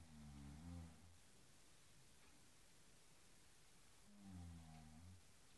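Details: Low rumbling growls from a Cairn Terrier playing with a blue cushion inside, two drawn-out bursts about four seconds apart over a soft background hiss.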